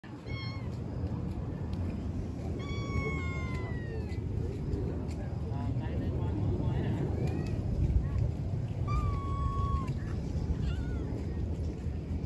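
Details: Wild cat brothers meowing: a few short, thin mews, including one rising-falling call, then a flatter mew near the end, over a steady low rumble and background talking.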